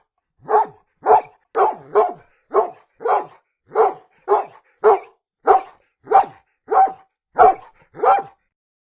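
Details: Single dog barking steadily, about fourteen short, sharp, evenly matched barks spaced roughly half a second to a second apart, each clean and separate, in an otherwise quiet setting.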